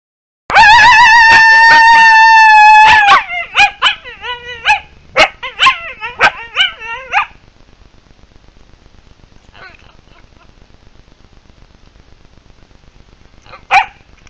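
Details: Coyotes in the wild give one long, steady, high howl lasting about two and a half seconds, then a rapid run of yipping and warbling yelps that fades into near silence, with one last yip at the end.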